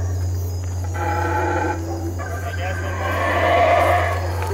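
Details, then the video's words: Loud howler monkey calls, a guttural, layered roaring that pauses briefly near one and two seconds, then builds again into a strong drawn-out howl, with a constant low droning hum underneath. "Howler Monkey Calls"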